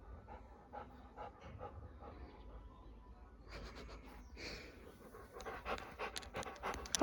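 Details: Pet Labrador Retriever drinking water and obeying its owner: soft evenly spaced wet strokes for three seconds, then a denser burst of louder rhythmic lapping and breathing, with a brief human voice.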